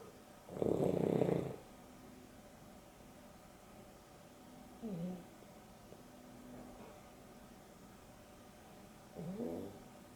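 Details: Boston Terrier and Beagle mix dogs, Dexter and Rio, snoring through an afternoon nap; one loud rasping snore, then softer breaths and short rising-falling wheezy snorts spaced several seconds apart over a quiet background.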